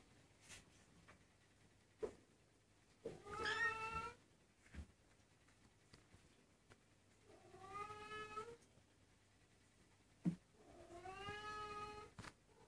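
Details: Twenty-three-day-old Maine Coon kittens calling indoors: three longer, fuller meows, each rising then falling slightly, spaced about four seconds apart, with scattered taps and rustles in a quiet room.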